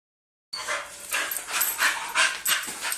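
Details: Golden Retriever puppy, newly arrived, during a first meeting: a run of short, breathy, high whimpering yips, about five or six bursts in under three seconds, uneven in spacing, after a brief silent start.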